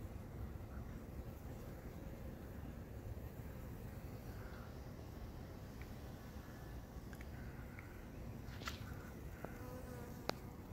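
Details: Bees busy collecting pollen, recorded 5-12-18, one with legs so loaded it struggles to fly: a steady low buzzing hum throughout, with a few faint clicks and brief higher tones near the end.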